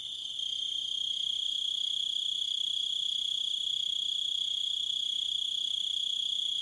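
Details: Crickets in a nature soundscape, a dense continuous high trill holding steady with faint higher overtones, fading in over the first half second and then running unbroken at even loudness.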